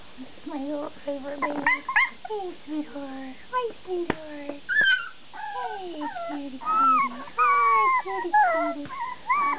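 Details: Several bulldog puppies whining almost continuously, overlapping tonal whimpers sliding up and down, some long drawn cries, with a person talking in the background.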